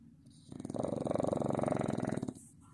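A Staffordshire Bull Terrier puppy snores, a single rattling, fluttering breath lasting nearly two seconds.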